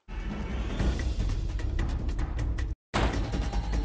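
Deep, rumbling music with drum-like booms fills the recording, broken by a brief silence, and no animal sound stands out.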